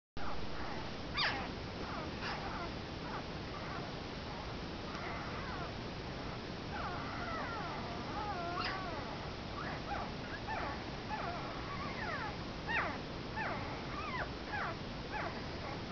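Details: Komondor puppies one week old, giving high thin whines and squeaks, some wavering and falling, scattered through a steady background hiss, with a cluster of overlapping cries in the middle.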